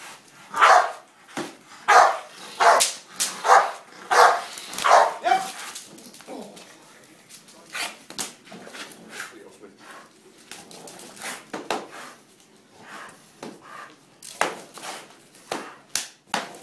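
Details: American Bulldog barking rapidly in a strong run of barks for about six seconds, then quieter scattered barks with a person talking, and a few louder barks near the end.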